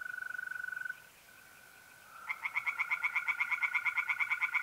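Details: Tree frogs singing in a pond on a mid-April night in North-East Italy: after a steady high trill from mole crickets, a loud chorus of rapid, evenly pulsed croaks starts, about six pulses per second.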